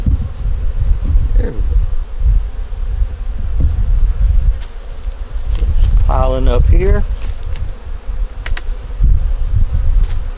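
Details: Winter inspection of a honey bee nuc with a yellow queen, eggs and brood in the top. A continuous low buzzing drone is heard throughout, with a short burst of human speech midway and scattered handling noises.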